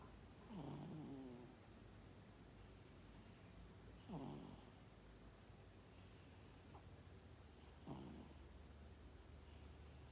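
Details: Sleeping domestic cat snoring, recorded 12 December 2021: three soft, raspy snores with a rough, buzzy texture, one roughly every three and a half to four seconds, separated by quiet breathing gaps over a low steady hum.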